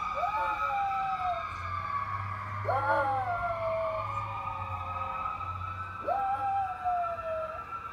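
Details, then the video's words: Gizmo, a little pet dog, howls at passing firetruck sirens: three short wavering howls, each rising and then sliding down, come about three seconds apart beneath the loud, steady wail of the sirens. "Dog Howling at fire truck sirens"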